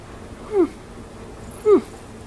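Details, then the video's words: Chinchilla Persian cat meowing indoors: two short, falling mews about a second apart against quiet room hum, with a faint high whine between them. "Mewoving Chinchilla Persian Cat"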